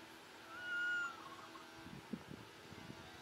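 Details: Baby monkey crying and calling its mother, asking for milk: one drawn-out, arched, whistle-like wail lasting about half a second, followed by soft rustling and tapping noises.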